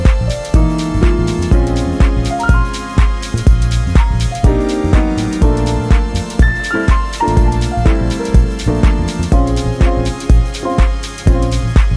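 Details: Loud upbeat electronic music with a punchy regular beat and bright synth chords, no animal sounds present.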